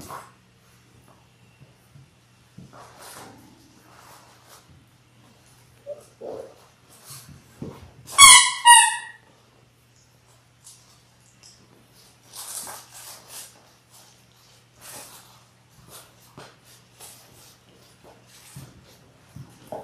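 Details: Six-week-old Labrador Retriever puppies from a litter of six born January 18, 2022, filmed on a live indoor puppy cam: one brief high yelping whine midway, surrounded by scattered clicks, scratching and rustling movement.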